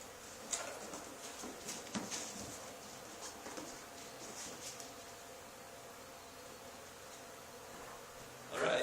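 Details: Honey bee swarm settled on the wall of an old barn where another hive had been cut out two days earlier, giving a steady, continuous droning hum throughout, with faint taps and a brief louder rustle at the very end.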